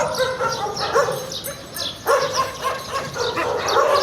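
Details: Stray dogs living around garbage bark in scattered, uneven bursts; a strong, sudden bark stands out near two seconds, and a louder flurry closes the recording.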